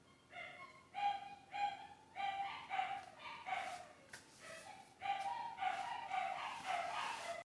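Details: Dogs screaming behind the scenes of The Cooking Doc, shrill harmonic cries repeated roughly every half second in a steady rhythm, the later cries running together into a sustained, wavering wail.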